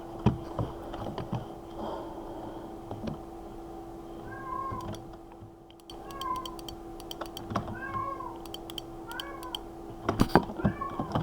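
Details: Domestic cat meowing indoors while its owner remarks that it doesn't want something and asks what is wrong with it. From about halfway through come several short, arched, nasal meows, one every one to two seconds, over a steady electrical hum and keyboard-like tapping clicks.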